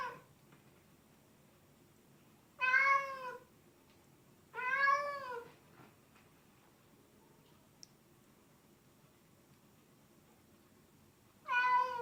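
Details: Domestic cat giving an unusual vocalization: three clear, drawn-out, wavering meows with rich harmonics, widely spaced by seconds of quiet in a small room.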